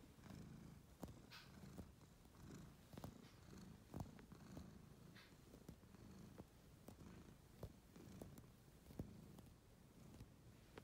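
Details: Domestic cat kneading a purple pillow indoors; soft continuous low purr pulsing in steady breaths, with faint clicks of claws on fabric.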